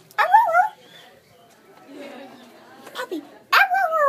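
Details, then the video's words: Siberian Husky puppy, lively during play with a person, makes a short wavering whine at the start, soft murmurs and quiet sounds in the middle, then a second rising-and-falling yelping whine at the end. "Cute husky puppy"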